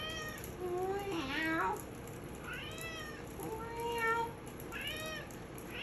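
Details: Stella, a Maine Coon cat, sings along with a person meowing, giving a run of long, drawn-out meows that rise and fall in pitch.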